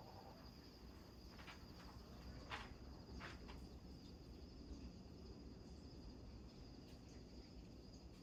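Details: Crickets trill steadily at a high pitch over a deep, rumbling roar of huge waves slamming against rocks on Maui, Hawaii, where bullfrogs also call.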